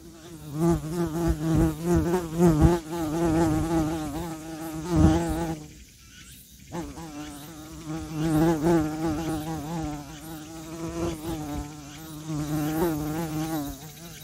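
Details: Bee buzzing with its wingbeats, a steady low droning hum with layered harmonics that swells and fades as it moves, briefly dropping away near the middle before resuming.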